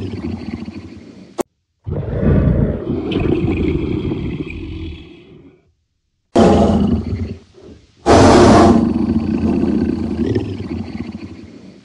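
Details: A leopard (Panthera pardus) gives deep, rough roars in several long, loud bursts separated by brief silences; finding: Leopard.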